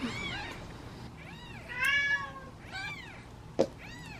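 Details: Kittens sitting in a basket, hungry and waiting to be fed, give a quick series of short arched meows, one louder and longer in the middle, with a sharp click near the end.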